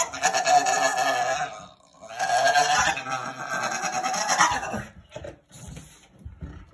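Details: Blue Staffordshire Bull Terrier, a female pet dog, excited about going to pick up her owner, makes two long warbling, bleat-like yodels likened to a turkey, each about two seconds, with a brief gap between; a woman talks to her afterward.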